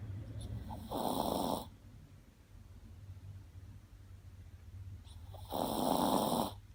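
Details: Sleeping Shih Tzu giving two harsh rasping snores about four seconds apart, with soft breathing and low room hum between them.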